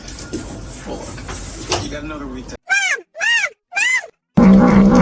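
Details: Domestic cat meowing three times in quick succession, each call a short arched tone rising then falling, after a stretch of muffled household noise and voices.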